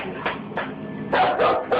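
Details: Full-grown dog barking nervously indoors, keeping a wide distance and backing towards the door, refusing to go past a line; a run of short barks, spaced at first then quicker, with a woman's voice faintly behind.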